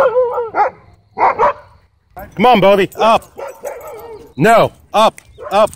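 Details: Threatening a man at a dog park, a wolfdog gives harsh, tonal barks with rising then falling pitch, several in a row with brief pauses, mixed with human voices.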